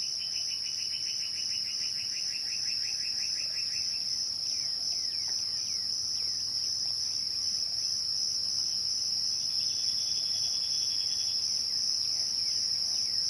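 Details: Crickets at twilight give a steady, shrill, unbroken high trill throughout. During the first four seconds a rapid run of lower pulsed chirps sounds alongside, and scattered short sweeping notes follow.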